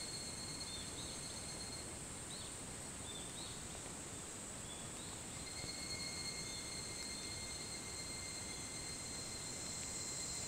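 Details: Evening cicadas (higurashi) calling at 4:30 a.m. on 28 July 2011 on the Hitotsubashi University campus in Kunitachi, Tokyo: thin, high ringing tones with clusters of short repeated notes, layered over a steady, loud broadband hiss.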